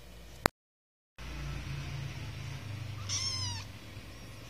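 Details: One of three kittens, 49 days old, which eat dry food yet still nurse from their mother cat: a single short, bright meow falling slightly in pitch, preceded by a sharp click and a moment of silence over low indoor hum.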